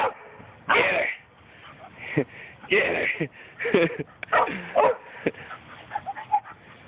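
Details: Female Chihuahua HunnyBun teasing and playing with her friend Lucy, another dog. She lets out irregular bursts of sharp, high yipping barks mixed with rougher play noises, clustered over several seconds, with human voices in the background.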